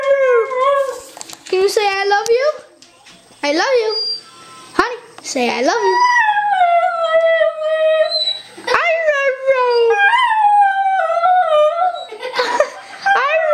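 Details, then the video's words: Honey the dog, urged to say "I love you", answers with long bending howls that swoop up and down in pitch, some rising sharply, mixed with human speech prompting her and occasional clicks. "Honey says I Love You"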